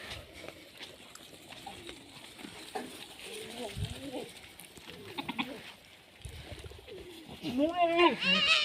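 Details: On a goat farm, Sirohi goats bleat in wavering, nasal calls, with a loud quavering bleat near the end.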